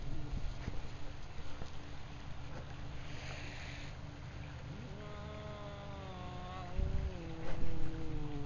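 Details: An F-1 Savannah cat, facing a Rhodesian Ridgeback that it swats on the head, gives a long, drawn-out, wavering call that rises and then holds steady.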